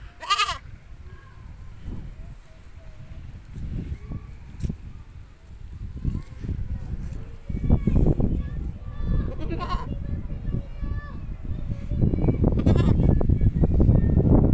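A goat gives a few quavering, nasal bleats over steady low rumbling and handling noise.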